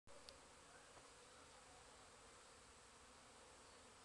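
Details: Many busy bees in a back garden on 8 April, a dense continuous hum filling the air with steady buzzing and no clear breaks.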